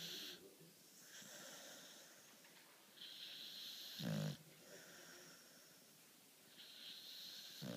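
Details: Beagle Charly asleep at his usual midday nap, breathing in wheezy, hissing snores at irregular intervals, with one short, louder snort around the middle of the stretch.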